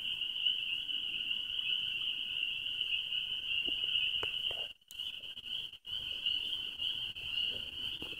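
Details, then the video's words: Many spring peepers calling together at Gap Mountain Trailhead, very loud: a dense, continuous high shrill chorus with two brief dropouts near the middle and faint low rustling beneath. "Gap Mountain Trailhead Peepers"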